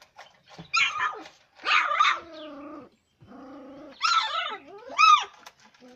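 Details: Labrador retriever puppies producing harsh yelping barks and drawn-out falling whines in four or five loud bursts separated by short pauses, with rising-and-falling tonal cries near the end.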